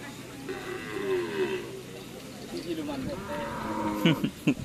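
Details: White Karapan Sapi cattle of Sapudi Island give a steady, sustained moo lasting over a second, then a second, flatter lowing call, while voices and clatter sound around them.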